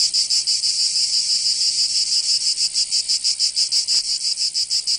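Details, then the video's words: Cicadas in Provence, southern France, calling in summer. A shrill buzzing rattle pulses rapidly and evenly, roughly three beats per second, and holds steady. A faint click comes near the end. "Canto Cigarra 🦗 [ Escuchar les cigarras en verano 10 H]"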